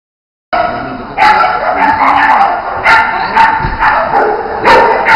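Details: Bearded Collies Otto and Roope during jumping and agility work. After a brief silence, sharp barks arrive in quick irregular bursts over a steady background hiss, with a ringing mid-pitched tone running beneath them.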